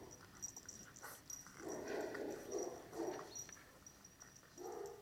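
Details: Seven-week-old Cane Corso puppies from the litter of Dana and Paolo; a run of thin whimpers and whines clustered mid-clip with a final short whine, over a faint steady high tone and light background noise.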